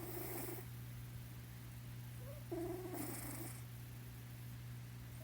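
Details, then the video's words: Pet cat Blynken asleep in a lap, giving two raspy snoring breaths with a brief whistling note between them, against a constant low hum. "Blynken snore-purring"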